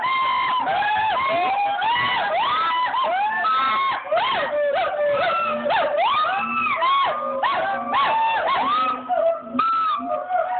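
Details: Several gibbons call together in a dense chorus of rising and falling whooping hoots; the species featured include siamang, Nomascus, Javan gibbon and hoolock.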